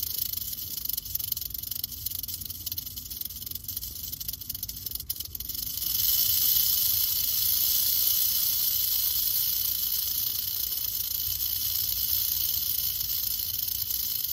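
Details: A curious western diamondback rattlesnake keeps up its rattle: a softer, rougher buzz with a brief crackle for about six seconds, then a louder, smooth, continuous hiss-like whirr to the end.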